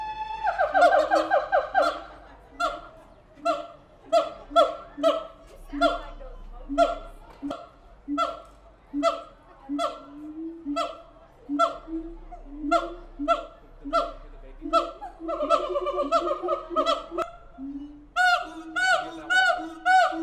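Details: A long siamang calling bout at the Tulsa Zoo: an opening loud scream, then dozens of rhythmic barking hoots at a steady pace, building near the end into faster, higher whooping cries, with a low hum beneath.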